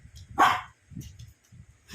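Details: Indoor playtime with a sleepy Shih Tzu that has a visitor: one short, sharp bark near the start, then quiet low household thumps.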